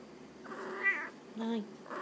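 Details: Pet Munchkin cat in a small room in Oita, Japan, answering its owner's request to talk. Two short, bending meows follow close together over a quiet indoor background.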